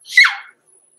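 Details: Six-week-old blenheim Cavalier King Charles Spaniel puppies Roman and Blue, born November 14, 2022, overnight in an indoor puppy pen at Red Barn Cavaliers; one short, sharp high squeal that falls away within half a second, then quiet.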